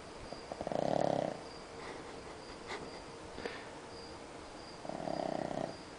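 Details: Pug Samui sleeping soundly after a movie: two drawn-out, rough snores about four seconds apart, each a buzzy swell of breath, over a soft constant background hum.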